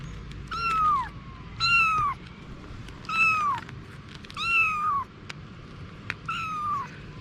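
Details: Cats: mother Anna with her kittens. Five clear, high meows, each sliding downward, come about every 1.3 seconds over a quiet low rumble, with a few soft clicks between them.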